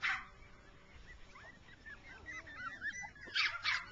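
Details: Jack Russell Terriers, rough coat mother with six-week-old puppies, at play in grass; a loud bark opens, thin wavering whines follow, and two sharp barks close the clip.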